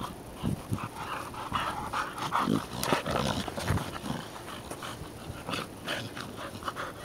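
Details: American Pit Bull Terrier brother and sister at play, giving rough growls and short whimpering yelps in quick, irregular bursts, with scuffling noises between them.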